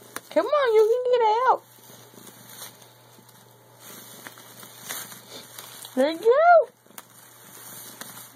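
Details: Pet cat Tiger, a male stuck in a bag and trying to play through it, lets out a long wavering meow followed several seconds later by a shorter rising-falling one, with faint bag crackles between.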